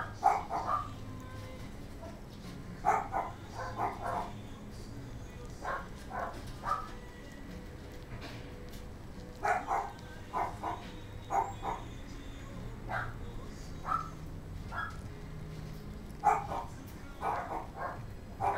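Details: Short, sharp puppy yips from a gold female Kaninchen Dachshund born November 6 at a puppy shop in Kadoma, Osaka, Japan, repeated in clusters every second or two across the stretch over a steady low hum.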